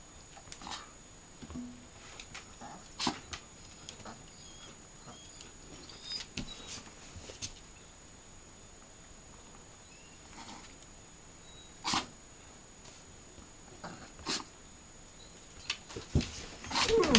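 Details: A 14-year-old female pet dog sneezing on purpose to demand her dinner: short, sharp, breathy snorts scattered irregularly, several close together, in a quiet room with faint small noises.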